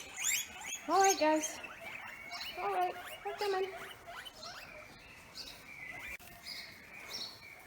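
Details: On a farm in hot weather, guinea pigs wheek loudly for their morning breakfast of grass, a chorus of high, rising squeals repeated in quick bursts.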